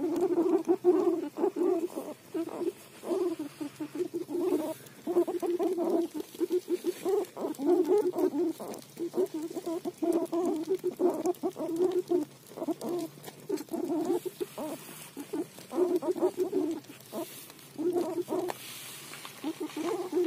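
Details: Low, rumbling pulsed calls from a guinea pig munching roti come in uneven bursts separated by brief pauses, over faint ticking background sounds.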